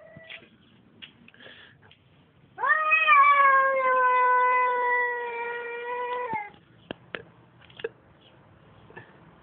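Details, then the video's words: Tomcat giving a strange, sustained yowl: after quiet shuffling, a loud harmonic wail rises sharply at onset and holds nearly level for about four seconds before cutting off, followed by scattered taps and small sounds. "Котарак издава странни звуци / Cat makes strange noise"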